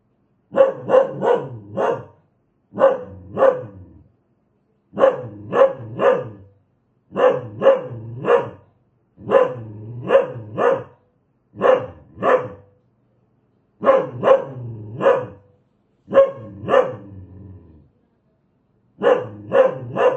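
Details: Fierce dog giving rapid volleys of two to four loud barks in a row, the volleys repeated steadily with clean silent breaks between them and no other sounds present.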